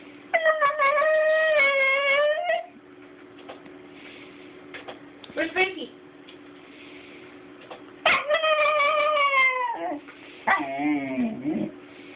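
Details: Basenji puppy named Banksy, a dog that doesn't really bark, making strange sounds: two long wavering, harmonic-rich yodelling howls of about two seconds each, interspersed with short squeaky yelps and grumbles, over a steady low background hum.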